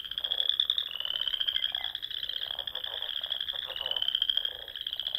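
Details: Frogs singing in spring at dusk among the rolling dunes and small ponds of Nebraska's Sandhills: dense overlapping rising trills, each lasting a couple of seconds, with lower pulsing croaks beneath.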